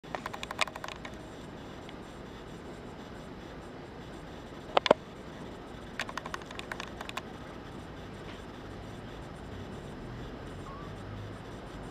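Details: Steady low background hum fills the clip, broken by a few sharp clicks and taps.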